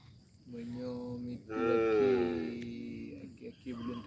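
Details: A tame calf moos in long tonal calls, one louder rising and falling moo in the middle, with faint music and a voice around it.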